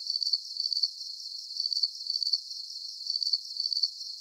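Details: Crickets chirping as a calming deep-sleep soundscape; high, thin pulsed chirps come in quick bursts, roughly two per second, over a steady shimmering hiss, with no low sounds at all.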